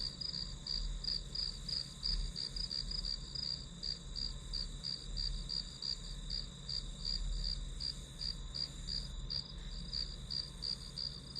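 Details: Grass insects chirp in a fast, even, high pulse near three beats a second, heard as calming white noise while studying, over a gentle low-frequency hum.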